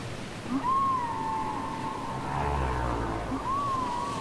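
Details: Whale song from a cassette: two high arched whistled cries, rising then sagging, separated by a sustained level tone and soft low rumbling.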